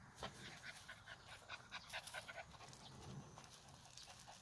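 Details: Male fawn Jindo puppy at a kennel in Boeun County, North Chungcheong Province, Korea. Faint, quick breathy panting with soft whimpering bursts, roughly two per second, over low background noise.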